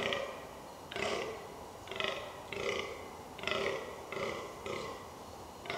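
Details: Fallow deer in the rutting season in the New Forest, Hampshire, England: a series of about seven deep, burping groans, each rough and throaty, repeated roughly every second at a steady pace.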